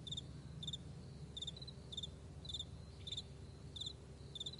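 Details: Crickets calling in the morning over a vast meadow: sharp, high, double-pulsed chirps about every 0.6 seconds, joined by fainter chirps from other insects, with a gentle low rumble beneath.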